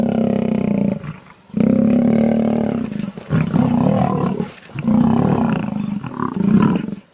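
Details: Lion roaring in long, throaty bursts of about one to two seconds, separated by short pauses, with gritty growling between them.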